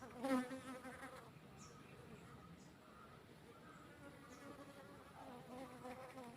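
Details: Honey bee buzzing: a louder, low droning pass in the first second, then a fainter steady hum that continues throughout, with a few soft clicks in the background.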